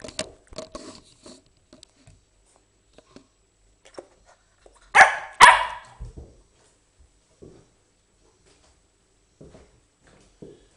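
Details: Twelve-week-old female Norwegian Elkhound puppy, indoors, showing things she has learned: two loud sharp barks close together near the middle, amid scattered quieter thumps, clicks and soft noises in a small room.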